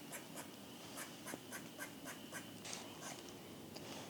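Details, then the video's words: On a spring evening at a forest pond, frogs call in a chorus of quick, hoarse clucks like distant ducks quacking, over a thin steady trill. "you can hear the frogs calling now and it's just such a nice evening to sit and do some photography"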